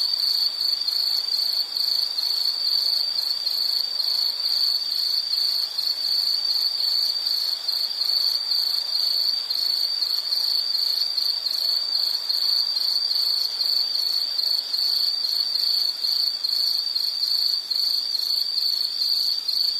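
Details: High insect trilling runs unbroken for the full stretch, a shrill, steady ring with fine rapid pulsing and a faint higher shimmer, set against soft natural background hiss.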